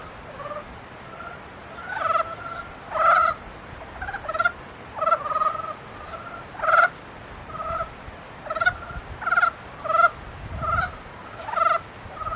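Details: Frogs in mating season calling in a series of about a dozen harmonic, nasal croaking bursts, spaced roughly one second apart, several callers overlapping at slightly different pitches over a steady background hiss.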